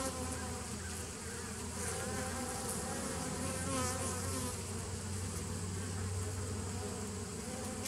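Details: Bees filmed 27 September 2018 give a constant, full-bodied drone, a low steady hum beneath a rippling buzz that swells slightly midway, with no other sounds standing out.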